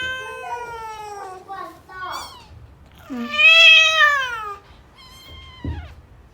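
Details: Persian Angora cat giving birth indoors in a box, around the arrival of the second kitten: a run of wavering, descending meows, one long and loud in the middle, with faint human voices in the room.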